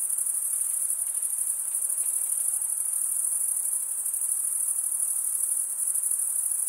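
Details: Chirping crickets, the sound made by males running one wing across the serrated vein of the other, form an unbroken shrill trill, level and even throughout, over a soft background hiss.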